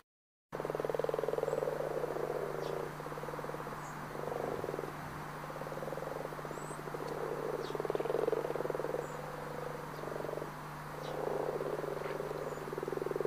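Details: Frogs in Brazil's Pantanal, possibly sapo-boi, sapo-martelo or cururu toads, croak in a dense, pulsing chorus of mid-pitched rattling notes over a steady low hum.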